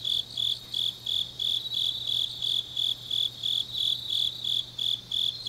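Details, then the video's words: Autumn night chorus of grass insects recorded in Changnyeong, Gyeongnam, Korea; bright high-pitched chirps repeat in even pulses roughly three per second over a quiet background with a soft steady low hum. "깊은밤 가을 풀벌레 소리"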